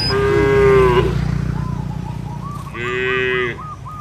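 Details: Two moos from cattle wandering a village field, calling companions back to the barn: a long level one at the start, then a shorter brighter one, with a bird's rapid series of arched whistles between them.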